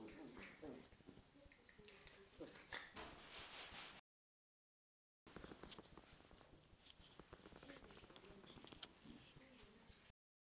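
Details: Playful tussle between a Corgi and a Scottish Terrier: rough, noisy growls and short yelping bursts in two stretches split by a silent gap, with voices in the background.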